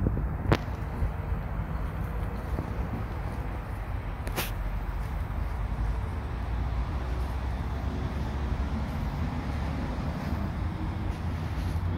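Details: Steady low outdoor rumble like passing traffic or wind, with two sharp clicks early on and no animal calls.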